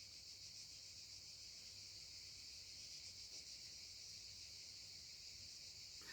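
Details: Cicadas sing outdoors at sunset in the south of France, a continuous high hissing buzz held evenly, quiet and distant, with a low hum underneath.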